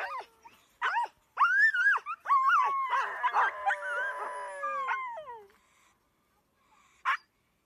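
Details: Greenland Dog pack in Greenland: sharp yelps leading into drawn-out wavering howls that slide downward, several voices overlapping in the middle, fading out, and one last short yelp near the end.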